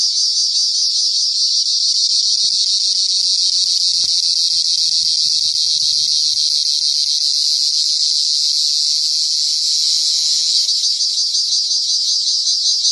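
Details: Unbroken shrill cricket trill, a dense high buzz held at an even level for the whole stretch, with a few soft low thumps and rustles in the middle.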